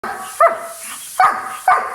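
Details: Dog making talk-like vocal sounds: three short, loud yowling syllables with bending tones, each falling then fading, spaced unevenly over two seconds, with a quiet hum between them.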